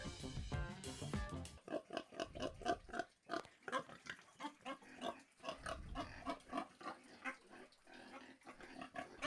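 Pigs grunting and oinking in a rapid series of short nasal bursts, with a brief burst of music at the start.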